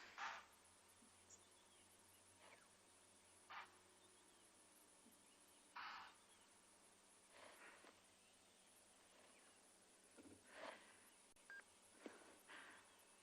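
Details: Impala in Tswalu Kalahari Reserve, South Africa, on a 1 August sunrise drive give sharp, explosive snorting barks at irregular intervals of a few seconds, alarm calling, possibly at a hyena, with a leopard nearby.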